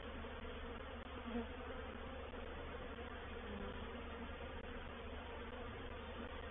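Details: Swarm capture at Painted Peacock Manor, 04/07/21: a reproductive honey bee swarm moving into a swarm trap produces a constant, layered buzzing roar, low-pitched and steady throughout.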